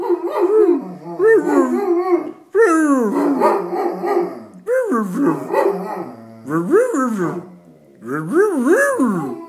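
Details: Dog reacting to sirens with a series of five howling bursts, each a mix of arching, wavering yelps and rough barks, separated by brief pauses, loud and continuous throughout.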